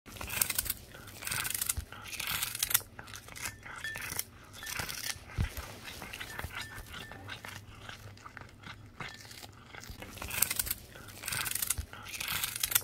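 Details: Cat chewing and crunching on capelin: dense, irregular crackling crunches and bites, with louder bursts of chewing every few seconds.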